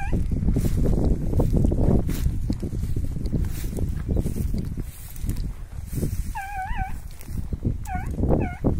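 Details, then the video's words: Petit Basset Griffon Vendéen dogs chasing rabbits during outdoor training: a few short, bent yelping bays burst out in the last three seconds, loud low rumble and rustling noise throughout. "Petit basset Griffon vendeen detrás de conejos"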